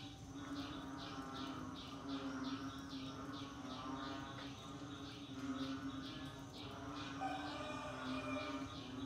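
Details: During the rainy season, frogs keep up a rhythmic series of short clicking pulses, with a continuous low drone and other overlapping croaks in the background.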